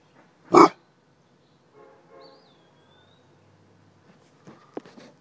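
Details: Weimaraner named Mongo barking to warn its owner: one sharp, loud bark near the start, then near quiet with faint rustling and a brief thin whistle-like tone.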